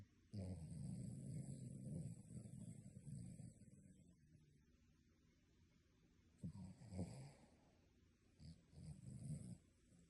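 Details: A dog snores deeply while sleeping, like a human: a long low rumbling snore over several seconds, a pause, then shorter snorting snores near the end.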